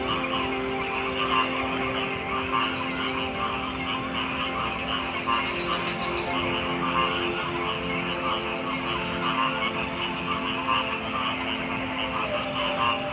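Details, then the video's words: A thick chorus of frog croaks, many callers overlapping in rapid pulsed bursts. Steady tonal hum and a continuous drone run underneath the whole stretch without pause. "Frog Sounds"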